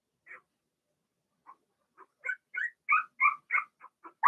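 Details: After near silence, Blenheim Cavalier King Charles Spaniel puppies in a home puppy pen break into a short burst of five or six loud, bending squeals, ending on a sharp cry.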